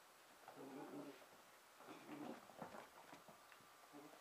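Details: Emma, a red and white female Pembroke Welsh Corgi puppy aged 5.5 months, entertains herself indoors on Christmas night 2009, giving soft whiny, moaning play sounds in two drawn-out bursts, then fainter murmurs in a quiet room.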